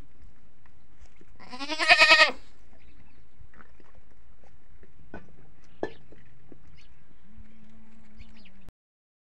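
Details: Hungry farm goats calling in the early morning, adult and kid together; one loud, vibrating bleat near the start, then scattered clicks and knocks and a faint steady hum to the end.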